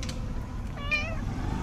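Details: A cat with white paws, under an olive tree, greets with a short, bright meow that rises and falls over about a third of a second, with rich harmonics above a low steady background rumble.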